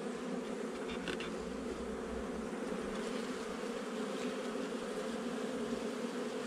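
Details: Honey bees in a nuc installed a little over a month earlier, recorded during a hive inspection on 8 July 2020: a dense, steady droning hum of many bees with layered low tones and a brief faint rattle near the first second.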